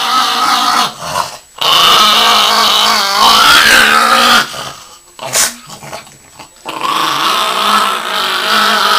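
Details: Bath-hating pet Chihuahua Yoshi growls after a bath. Rasping, wavering growls come in two long bouts, separated by quieter breaths and a brief sharp noise, indoors.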